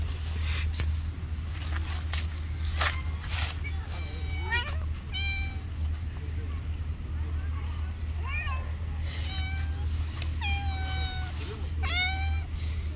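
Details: Friendly stray cats living on the street, giving a series of clear, wavering meows that rise and fall, several in quick succession, while a person talks nearby over a steady low hum.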